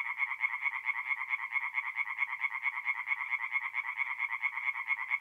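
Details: Tree frogs singing by night at a forest pond in north-east Italy during April, giving a steady run of quick, rasping croaks repeated several times each second without pause.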